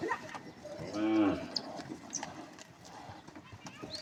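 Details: A cow lets out a single short moo lasting about half a second: a low, rich, harmonic tone that swells and then fades. Steady background noise and a few faint clicks surround it.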